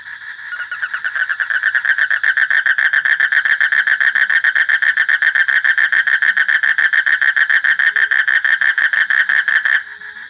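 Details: Frog calling in a long, steady series of rapid pulses, about four per second, each a nasal note centred low in the treble with bright overtones, running unbroken for nearly nine seconds before stopping abruptly.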